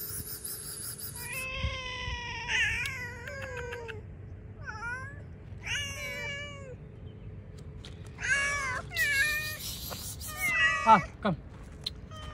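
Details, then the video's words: Several hungry cats outdoors eating cut fish, meowing often: harmonic meows, some rising then falling, some drawn out and wavering, overlapping one another, with short noisy hisses or rustles between calls. "A cats eat cut fish outside hungry cat #meowing"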